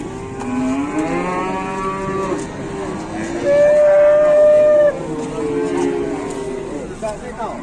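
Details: Cattle calf running wild, rampaging and charging here and there: several drawn-out, harmonic lowing moos overlap throughout, with one loud, steady, higher-pitched bellow held for over a second midway, then lower moos trailing off.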